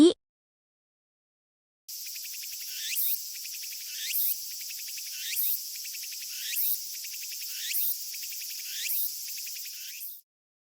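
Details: A Japanese cicada species in summer, Japan: a continuous buzzy, metallic drone with a harsh swelling pulse repeated about every 1.2 seconds, after a brief click at the start.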